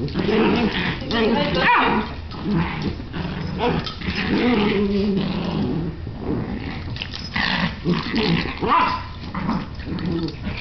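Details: Two dogs, Bailey and Chance, play together, filling the recording with rough, continuous growls and snarls in uneven bursts while a person talks encouragingly over them.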